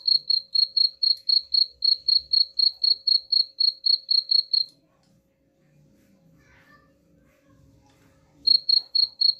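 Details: Cricket chirping, said to repel rats: rapid, evenly spaced high chirps, about four per second, stop for several seconds of near silence with faint low rumbling, then resume.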